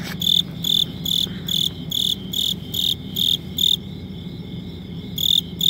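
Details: A cricket chirps in bursts of shrill, high trilled pulses, roughly two per second, pausing briefly near the end before resuming; a low background hum runs throughout.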